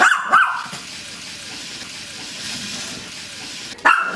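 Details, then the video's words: Maltese puppy at play with a toy spider: a pair of sharp high yaps at the start, then several seconds of quiet hiss, then another short yap at the end. "Cute Maltese dog barking and playing with toy spider funny bark play puppy"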